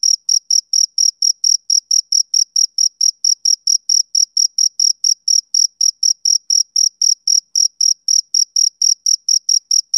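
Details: Rhythmic chirping of a male cricket on a summer evening, bright shrill pulses spaced evenly at about four per second, with nothing else audible.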